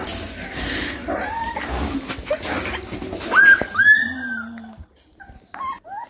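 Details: Three-week-old Rottweiler puppy making thin, high whines over a muffled, rustling background, then a few brief squeaky whimpers after a short quiet gap near the end.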